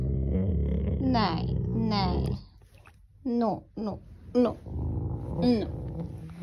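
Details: A Rottweiler growls in a deep, rough rumble, showing aggression over something he wants to bite, while his owner repeatedly says "no" and tells him not to bite it.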